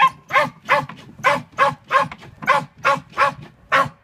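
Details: Sealyham Terrier during earthdog practice, tunnelling for a rat in December 2016, barking rapidly and steadily, about ten sharp barks in four seconds at a regular rhythm.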